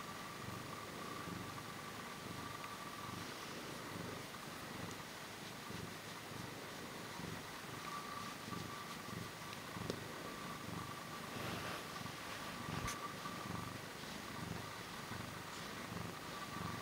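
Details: Short-tailed Portuguese cat recorded up close, purring softly and continuously with a low, rapid pulsing rumble throughout, under a faint steady background hiss.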